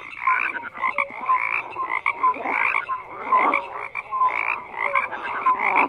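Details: Many frogs croak at once in loud, rhythmic surges, each swell of rasping calls lasting under a second, interspersed with thin whistled notes; no wind, water or voices.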